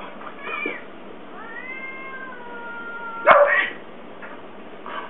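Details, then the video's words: Fighting cat lets out a drawn-out, slowly falling harmonic yowl of about two seconds, after a brief higher wail and before a sudden loud scuffle-like burst of noise. "the best funny cat fight videos"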